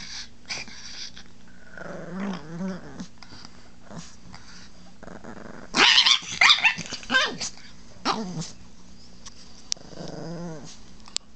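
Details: Chihuahua named Baby, a protective house pet that gets mad when the owner talks to it or tries to touch his wife; low wheezy growling early on, then a loud burst of snarling barks near six seconds, more growls after.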